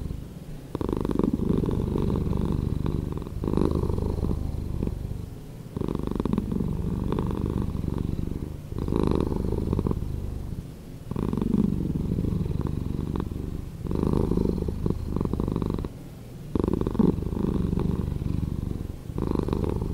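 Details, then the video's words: Pet cat purring, slowed down: a low, rolling rumble in regular breath-linked waves, about every two to three seconds, each wave rising, holding, then fading into a brief softer gap. "Cat Purring"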